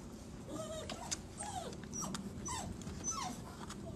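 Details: Six Golden Retriever puppies squeezed together in a small bucket give thin, high whimpers that bend up and down, several overlapping over a low room hum.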